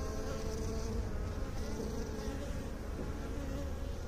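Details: Continuous honey bee buzzing, a thick low hum with stacked overtones holding steady throughout, many bees droning together without pause.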